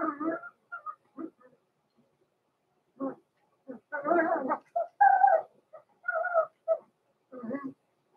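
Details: Blenheim Cavalier King Charles Spaniel pups Roman and Blue, born November 14, 2022, in an indoor puppy pen at Christmas; a busy mix of squealing whines, raspy yelps and short grunts, nearly continuous over several seconds.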